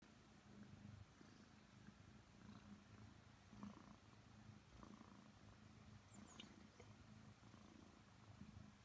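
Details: A 5-month-old Maine Coon cat purrs in a low, steady, rumbling rhythm during cuddle time with its owner.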